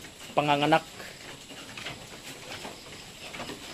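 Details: Goat on Terra Grande Farms in Palampas, San Carlos City, Negros Occidental, Philippines, giving one short, steady, nasal bleat lasting about half a second, followed by quieter farm background and faint voices.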